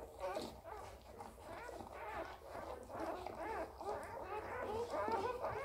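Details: Border Collie puppy just born, whining in a steady run of short, bending squeals that climb and dip, roughly two per second, over background music.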